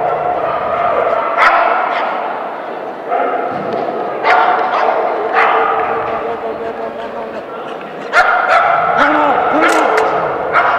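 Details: Maggee, a Keeshond, at the Keeshond Club of SoCA AKC Excellent Standard run on 30 December 2011; clusters of abrupt barks break through constant indoor chatter, with a brief whine near the end.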